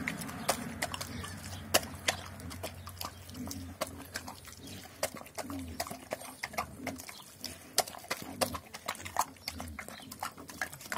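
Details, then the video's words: Doberman pinscher named Armin attacking its food: a steady low rumbling growl runs almost unbroken beneath rapid sharp clicks and smacks of chewing, fading briefly in places before resuming. "Doberman pinscher Armin attacks food"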